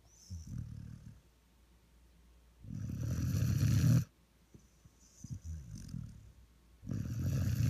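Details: A 1-year-old Vizsla snores while lying as a lap dog, in deep, rumbling breaths, each rasping inhale swelling and fading every couple of seconds.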